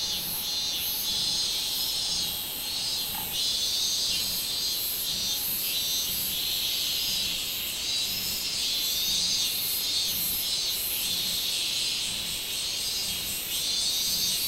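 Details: Robust cicada, called minminzemi, recorded 24 July 2016: an intense, strongly pulsing high-pitched buzz, its beats clearly spaced and repeated throughout, with a faint thin tone during the first few seconds.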